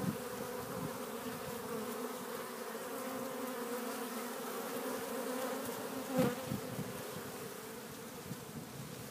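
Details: Honey bees hauling pollen into a Warre hive on April 12th, spring; an even, swarming hum of many wings throughout, briefly louder as one bee whirs past near six seconds.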